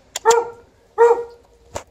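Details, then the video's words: Alaskan Malamute outdoors with a Golden Retriever, playing and not coming in when called; two full, resonant barks about three quarters of a second apart, followed by a short sharp knock. "Digging, rolling, barking, not coming in - Alaskan Malamute & Golden Retriever outside"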